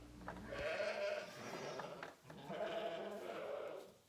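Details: Hungry sheep in a barn at lambing time in March on a Saskatchewan, Canada ranch, giving two long, drawn-out, wavering bleats, each lasting over a second, with barn ambience behind.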